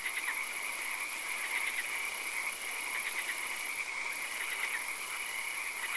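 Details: Chorus of frogs in a night swamp with occasional rain: buzzy, pulsed croaks repeated in clusters, clearest around two, three and four and a half seconds, with a broad steady hiss and a high tone that briefly drops out.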